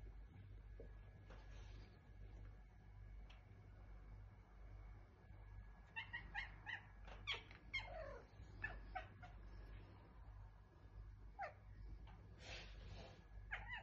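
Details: Pet tomcat described as talking, vocalizing indoors: a run of short, harmonic meows and chirps in quick clusters, busiest from six to ten seconds and again near the end, over a steady low background hum.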